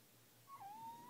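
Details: Indoors at night, a ginger kitten named Odin lets out one brief, level whine that dips then holds steady, protesting being kept off the balcony. A quiet room hum sits underneath.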